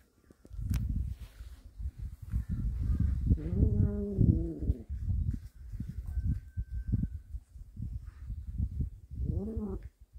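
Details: Cat from a family living in a warehouse, one that brings back snakes; a drawn-out, wavering meow rises and falls over rumbling handling noise, and a second, shorter meow comes near the end.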